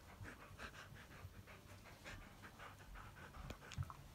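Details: A Siberian Husky pants steadily while offering its paw on its own with a serious face. Soft, breathy puffs repeat about three times a second over a low, steady background rumble.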